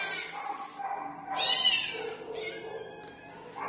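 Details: A cat in a cat room meows several times indoors, with drawn-out, wavering cries and a brighter, louder wail in the middle, then ending on a short rising meow.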